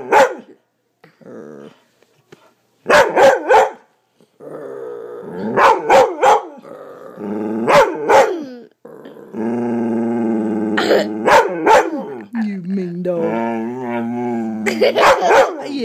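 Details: Domestic dog that barks only when its owner wrestles with her child: sharp single and double barks scattered among sustained growling and whining, with a woman talking and laughing between them.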